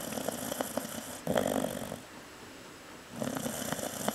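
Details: Sleeping Chow Chow Cocoa, a female, snores lightly: three rough, buzzing breaths, the second a bit louder, spaced by a quiet pause, over constant background hiss.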